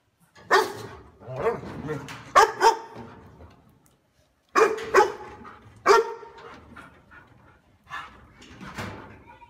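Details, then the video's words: Dog barking loudly and powerfully, as if guarding a house: an irregular cluster of barks with rougher softer sounds between, a pause, another burst of barks, then quieter broken noises. "Tiếng Chó Sủa To Và Ấm"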